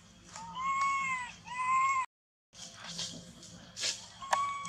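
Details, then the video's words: Crying baby monkey left without its mother, clinging to a tree with its body shaking; two long, loud, bowed wails in the first two seconds, a brief silence, then softer scattered noises and one short cry. "Terrible Cry ! Baby Monkey Cry Shacking Body Hug The Tree Lost Mom"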